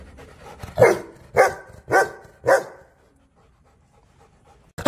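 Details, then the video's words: Angry dog barking four times in quick succession, about two barks a second. Each bark is harsh and broadband. A quiet pause follows, and the clip ends on the start of a further bark. "Angry dog barking Sounds"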